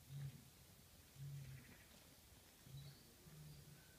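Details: Male lion in a zoo enclosure at Dartmoor Zoo, roaring for the first time since arriving on 19 December 2014; four deep, low grunting pulses spaced about a second apart, rather distant, over steady background hiss.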